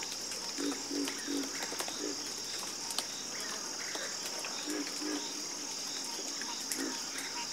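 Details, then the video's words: Scattered frog croaks, short bursts in small groups near the start and end, set against a steady high-pitched buzzing background. "Calming Sound Of Harmonious Frog Croaking"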